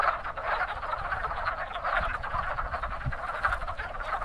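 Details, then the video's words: Wood frogs in spring at a very active breeding pond, a dense chorus of many overlapping clucking, duck-like croaks forming a continuous rattling din with no pauses, low rumbling noise underneath. "Wood Frogs Calling in Spring"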